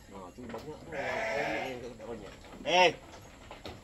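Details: Goat being milked for a newborn gives one short, sharp, wavering bleat near the end, after a stretch of people talking in Malay.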